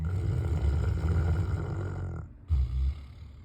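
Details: South African Mastiff snoring: a deep, rough, continuous low rumble for about two seconds, a short pause, then another brief rasping snore.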